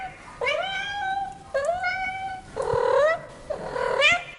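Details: Domestic cat giving four drawn-out meows, each about a second long, starting with a sharp onset and sliding upward before fading, the last one higher and more strained, in a quiet setting.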